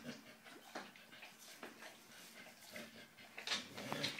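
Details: Bullmastiff cross English bull terrier puppy eating its first fish, with soft wet chewing and smacking clicks scattered irregularly through the clip and a few brighter snaps near the end.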